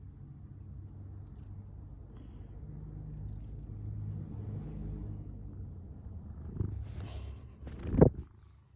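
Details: Domestic cat purring, a low steady rumble running for about six seconds, followed by a few brief sharp noises and a louder burst near the end.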